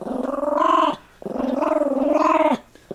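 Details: Pet Toy Fox Terrier growling indoors while a person talks to it about its bone: two sustained, throaty, pulsing growls of about a second each, the second rising slightly in pitch, then quiet.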